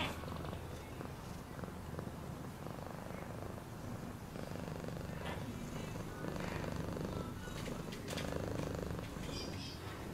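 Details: Continuous deep purring from a cat, the rumble pulsing unevenly and swelling slightly louder toward the end, with soft rustling noises scattered through.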